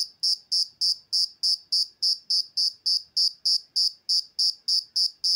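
An insect gives loud, high-pitched chirps repeated steadily about three times a second.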